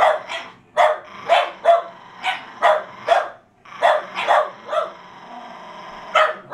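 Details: Several Jack Russell Terriers tussling over a fallow deer's leg, yapping in rapid, shrill barks, mostly in twos and threes, with a faint whine between bursts.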